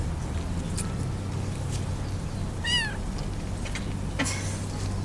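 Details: Motherless kittens trying to nurse from their sister; one short, high, arched meow near the middle, with faint clicks and a steady low hum throughout, and Portuguese speech following.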